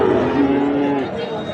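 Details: Sahiwal bull calf at the Ambari livestock market in Bangladesh, held Fridays and Mondays: a short, steady, low moo lasting about a second, set against a busy background of crowd chatter and market noise.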